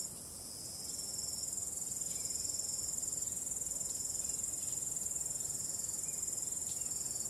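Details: Crickets calling on a starry night, a dense high shimmering trill pulsing rapidly and steadily, several callers layered together, swelling slightly after the first second, with a calm wind in the background.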